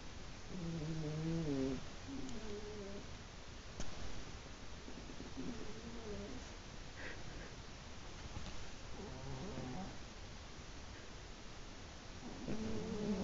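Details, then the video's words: Two sleeping old cats, both over fifteen, snore together: soft, low, wavering breath sounds recur every few seconds over a steady hiss of background noise. "2 funny old cats snoring together"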